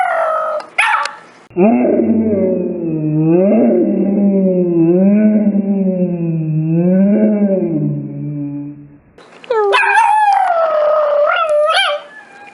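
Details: Pet dog making weird, funny noises: a long wavering howl-like vocalization rising and falling for about eight seconds, preceded and followed by shorter higher yelping whines.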